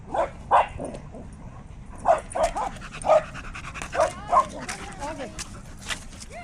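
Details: Dogs at a dog park barking in short, sharp bursts roughly every half second to a second, with yips and people talking in the background.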